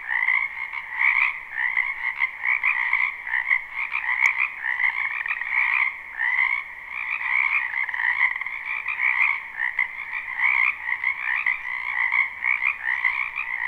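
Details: Many frogs croaking together in a spring wetland behind a house, recorded live: a dense, unbroken chorus of buzzy, pulsing trills in two stacked bands, swelling and dipping every second or so, with no other sounds.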